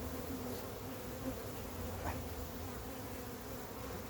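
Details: Honey bees from a massive wild hive being caught, producing a steady, dense low hum with a droning band near the bottom and faint overtones, unbroken for four seconds, with a soft tap midway.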